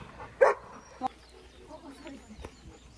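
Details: In spring, at a private dog run among cherry blossoms, a nearly four-year-old Golden Retriever plays with another dog and gives a single sharp bark, then a fainter yelp, while people talk.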